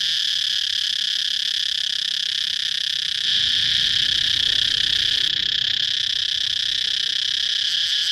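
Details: High, unbroken cicada buzz holding steady throughout, with low rumbling background noise joining partway through.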